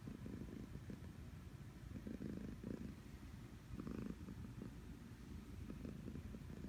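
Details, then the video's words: Sleeping house cat snoring: quiet, deep, rumbling breath sounds that swell and fade in loose pulses over a steady low hum, with no other clear sounds. "Cat Is Snoring"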